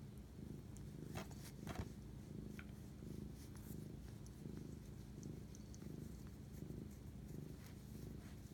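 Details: Domestic cat purring while bonding with its owner at 11:07 pm on March 25, 2019; a steady, low rumbling purr pulses about one and a half times per second, with faint clicks and rustles above it.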